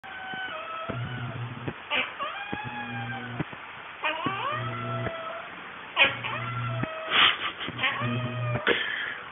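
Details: Talkative domestic cat heard indoors, giving a run of drawn-out, wavering meows with bending pitch, several in quick succession, alongside a low steady hum and a man's brief remarks.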